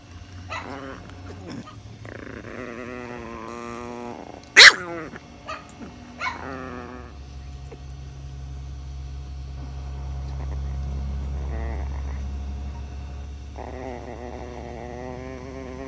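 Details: A tiny female Chihuahua angry because someone else gets too close to her; rising and falling throaty growls in several bouts, broken by one sharp yip-like bark near the middle, then a steadier low rumble.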